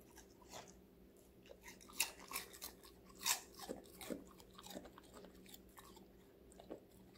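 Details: Crunching of vegetables by Connie, a young female Golden Retriever aged five months, indoors: bright crisp bites cluster around the middle, then softer irregular chewing, with a quiet background hum.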